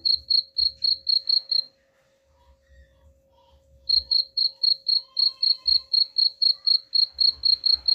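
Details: Cricket chirping intended to scare rats away: a burst of shrill evenly spaced pulses, a two-second gap with faint murmurs, then the same quick pulsing returns, roughly four per second, above a low hum.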